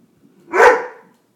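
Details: Weimaraner barking at birds: a single loud, rough bark that swells and fades within half a second.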